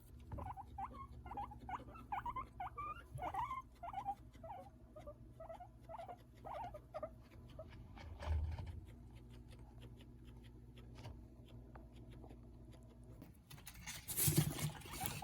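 A guinea pig gives a quick run of short, high squeaks over a low, steady hum.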